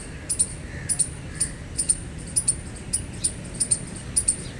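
A gray squirrel chirps steadily, each note a short, sharp, high-pitched squeak, often doubled, repeating about twice a second. A low, steady rumble runs underneath throughout.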